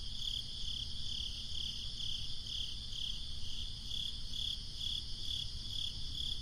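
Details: Crickets on a breezy summer night: a steady, high, pulsed chirping, about two to three bursts each second, layered over low rumbling wind noise throughout.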